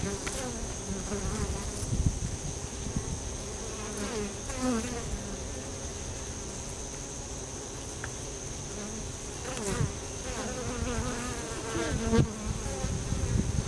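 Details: Many honey bees active at a bee tree entrance outdoors, producing a low droning hum with repeated close fly-bys whose buzzing pitch bends as they pass, and a constant high-pitched whine in the background.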